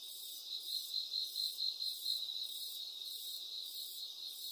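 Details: A cricket chirps in bright, high, evenly spaced pulses, roughly two per second, over a constant shrill ringing background, with no other animals or noises.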